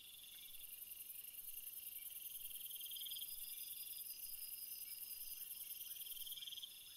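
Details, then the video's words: Crickets in a flowering field, a thick high-pitched trilling chorus with rapid pulses, one louder trill swelling in the middle and fading, steady throughout. "Field flowers screensaver and crickets sound"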